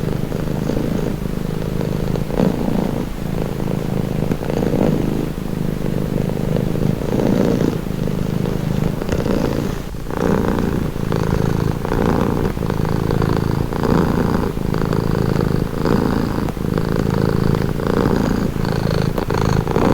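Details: Purring domestic cat in a relaxing, calming recording: a continuous deep rumble pulsing with the animal's breathing cycles, slightly louder inhale-exhale swells through the stretch, faint low background hum.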